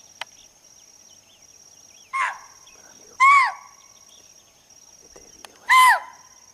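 Three shrill, bark-like alarm calls from a chital ring out, each brief with a slight drop in pitch, spaced unevenly over several seconds. A steady high insect-like whine runs underneath throughout.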